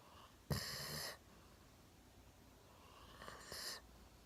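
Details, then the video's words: Golden Retriever Milo, one year old, deeply asleep on a sofa with chin on a table; a breathy, hissing snore followed by a softer, airy exhale-snore, with faint breathing sounds between. "ゴールデンレトリバー いびきをかいて大爆睡"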